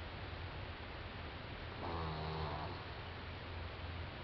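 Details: Snoring from Doudou, a French Bulldog four months old: a single rasping, buzzy snore of about a second in the middle, with faint hiss before and after.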